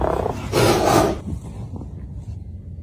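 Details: A caracal gives a harsh, raspy, hissing call lasting about a second, then falls quiet, during a meeting between a male caracal and his sister.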